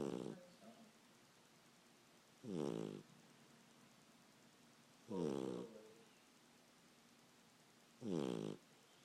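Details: A sleeping pup snoring: deep, rasping inhalations come as short bursts roughly every two and a half to three seconds, with near silence between them in a quiet room.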